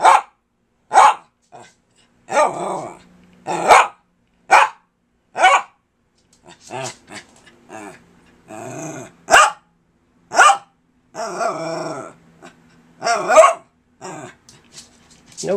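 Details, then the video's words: Persistent pet dog Kirby talking to his owner, loud sharp barks repeated about once a second mixed with longer growling, groaning vocalizations in an uneven chattering run. "Kirby the Wonder Dog Talks to Me"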